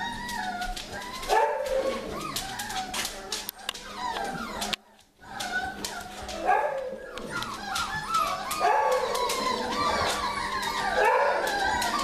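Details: Morning chatter from a winter litter of puppies: a busy mix of whimpers, yelps and rising squeaks from many pups at once, briefly dropping to silence midway, then resuming, with faint human speech.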